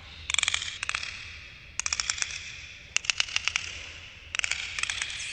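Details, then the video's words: Underwater dolphins producing clusters of sharp, rapid clicks, like a rattling tapping in short runs repeated about every second, over a steady hiss of water. "dolphins underwater sounds"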